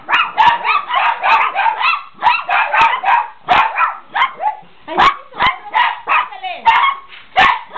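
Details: Chihuahuas getting excited, several small dogs barking in dense runs of shrill, rapid yaps, almost unbroken for several seconds, then spaced barks and a whining squeal, with faint speech behind.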